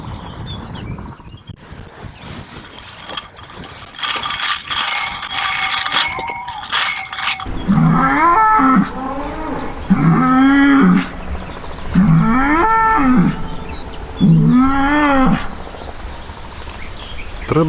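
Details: Polish white-backed bull at Radolinek: after several seconds of busy clattering and tonal noise, four strong bellows follow, each rising then falling in pitch, repeated about every two seconds.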